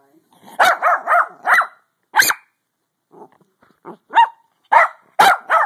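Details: A pug trying to sleep lets out a quick string of four yappy barks, then quieter low grumbling sounds, followed by a few sharper, louder barks near the end.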